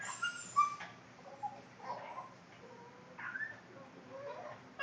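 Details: A Boston Terrier's funny noises: a couple of thin, high squeaky whines at the start, then softer, muffled whimpers trailing off with pauses between them.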